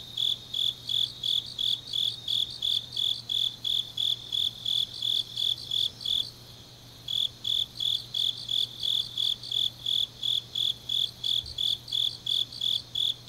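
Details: Autumn grass insects singing on a deep night in Changnyeong, Gyeongnam, South Korea: a dense, high, shrill pulsed trilling in regular bursts, broken by a short pause near the middle, with a faint low steady hum beneath.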